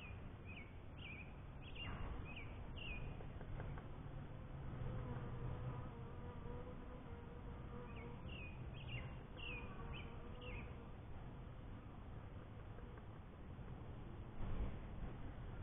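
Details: Honey bees at a beekeeper's first hive: a steady, faint droning hum with even tonal bands that swells and fades, while small birds chirp in short bursts in the background.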